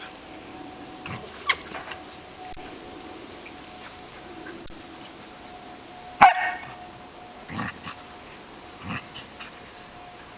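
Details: Dogs at play: a three-year-old female Samoyed, Chaya, with an 11-week-old Sheltie puppy, Nelly. One sharp, loud bark lands near the sixth second, with a few softer yips and thumps around it over a steady faint hum.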